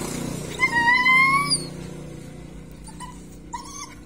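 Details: Belgian Malinois of a sturdy working line giving a long, high, slightly rising whine for about a second, then a short pause and a few briefer, broken whimpers near the end, over a low steady background hum.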